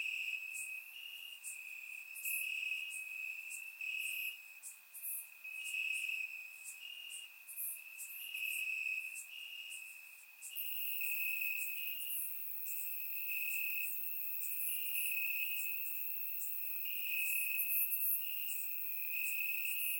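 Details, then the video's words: Grass crickets on a warm summer night in Bulgaria, surround-microphone recording; their piercing trill throbs in regular pulses beneath a dense chorus of higher insect chirps that thickens halfway through. "Cricket Sounds - Crickets Chirping at Night"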